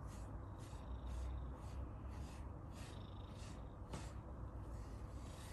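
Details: An Abyssinian cat enjoying being groomed purrs in a low, steady, continuous rumble of contentment, with soft brushing strokes over it.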